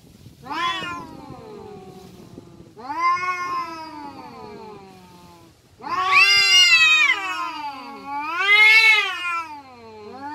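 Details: Fighting village cats trading drawn-out yowls: four long wailing calls separated by short gaps, the first two falling in pitch, the later ones louder, wavering and rising to strained peaks.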